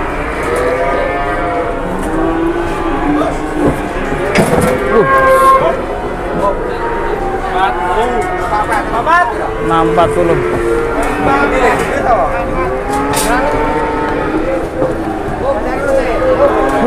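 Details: Cattle moo at a livestock gathering in Indonesia, where large cattle arrive and buyers compete over them; many overlapping drawn-out lowing calls with rising and falling harmonic tones fill the scene, with people talking in the background.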